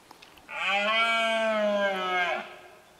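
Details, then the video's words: Red deer in rut at Cazorla, 2013: one long, steady roar of about two seconds, harmonic and fairly low, holding an even pitch before tailing off, over a quiet background. "BERREA en CAZORLA"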